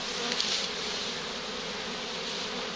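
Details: Bees in a large, very active swarm being collected near a farm: unbroken, level buzzing drone, smooth and unvarying throughout, with a small click early on.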